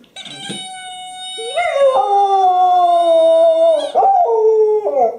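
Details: Pet dog howling with her favorite squeaky toy, recorded January 24, 2012: a brief yip, then a long steady tonal howl held for about two seconds, followed by a rising wail that breaks into a wavering descending note.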